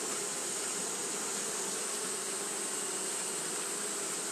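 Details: Dense, unvarying wing drone from a crowd of Japanese honey bees fanning during hot weather, joined by a constant bright high hiss.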